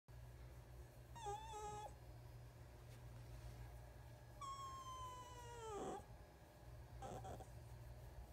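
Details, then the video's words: Lana, a young rescue fox kit, gives thin, high whines that hold steady then slide downward over a low background hum, showing approval while getting belly rubs. "Lana the Fox Kit Makes Funny Noises"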